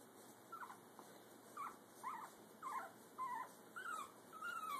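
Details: Young Brussels Griffon pup on its first walk, parents looking on, gives a string of short squeaky whines and whimpers, rising and falling, about two per second and growing louder toward the end.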